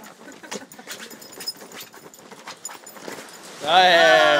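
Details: A Boston Terrier freaking out at a camping chair lets out a loud, high, drawn-out bark after a stretch of scuffling and rustling.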